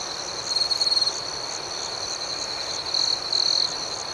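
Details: Crickets chirping at night outdoors: two loud bursts of rapid, high, pulsed trilling stand out over a steady, ringing chorus of other crickets, with a fainter pulsing layer higher up.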